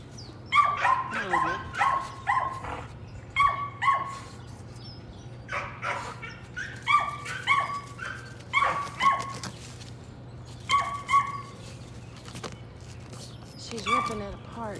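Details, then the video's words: Patterdale Terrier puppies working rats in their puppy pen, a litter trained most days: bursts of high, excited yipping barks in quick runs of two to four, pausing briefly between bursts, with faint human voices in the background. "Patterdale Terriers- More Patterdale Puppies Working Rats"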